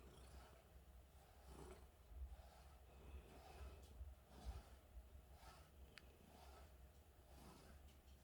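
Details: Happy cat purring close up, a deep, rough, rattling rumble that pulses unevenly with each breath, louder bursts now and then, and a brief faint high click near the end.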